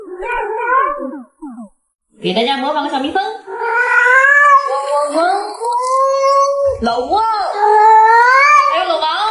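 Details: Pet cat Yuanbao meows at length indoors: short broken chirps, a pause, then a long undulating wail that climbs and falls for several seconds, ending in another rising, strained cry with bright harmonics.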